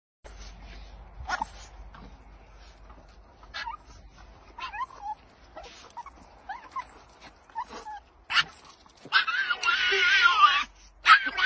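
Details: Coco, a female Boston Terrier held in her owner's arms, gives odd, squeaky, scream-like yips and whines, then a rougher burst of barking, reacting as a Basenji grabs the thrown stick during fetch.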